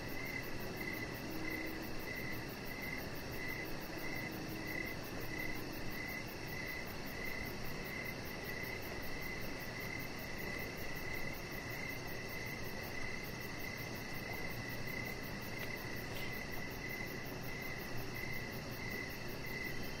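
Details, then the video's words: Crickets chirping in the evening near a deck where a chihuahua puppy lies under decoration lights; short chirps repeat steadily around a mid-high pitch, with fainter high pulsing above, over a constant low hum of background noise. "Cricket Sounds"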